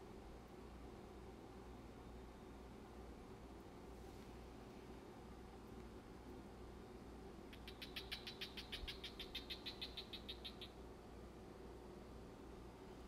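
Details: Male crested gecko, 9.5 years old, kept as a pet, biting and trying to mate with a hand while distracted by fish: a rapid train of about twenty-five sharp clicking chirps over three seconds, over a steady low indoor hum.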